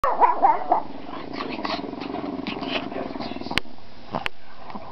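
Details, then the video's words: Pet dog barking: a few sharp high yelps at the start, then drawn-out grumbling, moaning vocal sounds with a low steady harmonic tone underneath, and two short clicks near the end. "the barking dog"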